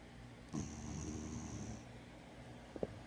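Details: Molly, a spayed female dog rescued from the streets, asleep at home. A single rough, nasal snore lasts just over a second, then quiet breathing and a faint click near the end.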